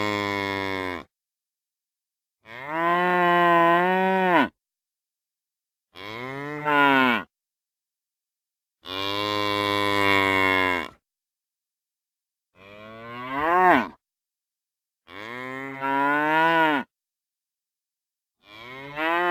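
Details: Series of seven moos from real cows, varying in length and pitch, some flat and sustained, others curving up and down, separated by short silences, about nine per minute.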